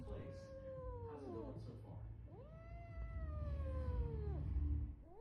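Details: Domestic cat giving long drawn-out meows, a first call falling in pitch then a second rising, holding steady and sliding down over about two seconds, with low background rumble and faint speech.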